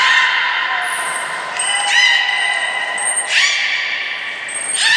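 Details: Beluga named Nana during a training session at Port of Nagoya Public Aquarium on 13 April 2019. Sustained harmonic squealing tones hold steady across the clip, broken by bursts of noisy sound. Short high whistle notes repeat throughout, and the room sounds echoing.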